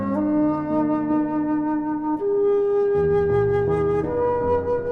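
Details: Soft flute melody holding long sustained notes over a gentle accompaniment, from a humpback whale documentary soundtrack; no animal voice is heard.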